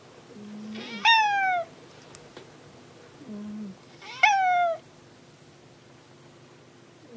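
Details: Hanu, a pet cat, meows while searching for Monaka: two loud, bright, falling meows, each preceded by a soft low murmur, roughly three seconds apart in a quiet room.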